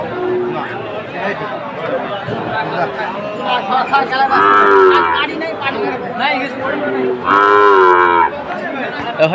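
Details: Sahiwal breed cattle among farmers buying bull calves in Jessore, Bangladesh, on 29 October: two drawn-out, nasal moos about three seconds apart, each roughly a second long, rise over constant market chatter.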